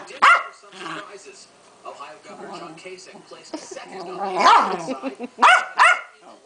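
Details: Keeshond, a female pet dog, in an angry fit: a sharp bark, then a woman's voice, then a louder yelping bark and two quick shrill barks near the end.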